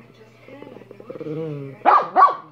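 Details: A pet dog called Minnie lets out a drawn-out, tonal whining moan that builds in strength, then breaks into two sharp, loud barks.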